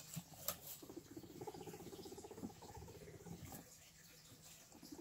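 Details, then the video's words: Guinea pigs rumbling in a rapid, buzzy purr made of closely spaced pulses, continuous for about three seconds before fading, with a couple of sharp clicks and quiet rustling. "Guinea pigs mating?"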